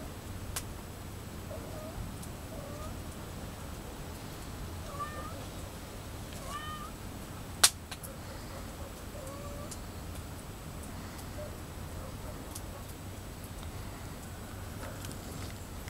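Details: Several cats trying to open a container of pet food for an afternoon snack; faint, soft meows, short rising and falling tones scattered across the recording over a steady low hum, with one sharp click near the middle.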